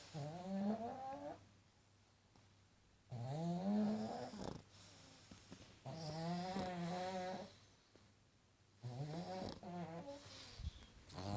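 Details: A pug asleep, snoring in regular cycles of roughly three seconds. Each long, nasal, whistling breath bends upward in pitch, with a softer, rasping exhale between them in a quiet room.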